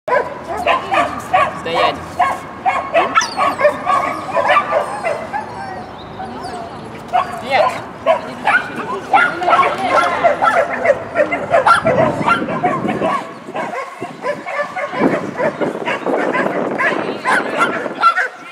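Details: Shetland Sheepdog at a tunnel competition on 19 December 2015, barking in rapid, irregular sharp bursts, over two a second, mixed with constant human speech and crowd noise in an echoing hall.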